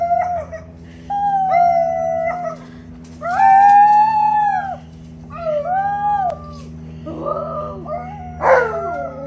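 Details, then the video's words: An Alaskan Malamute called Tonka joins two visiting nieces howling on the deck; steady held howls alternate with quieter gaps, pitch bending at the ends, then a rougher yelping burst near the close. "Malamute Has Company & They Have A Howling Good Time!!"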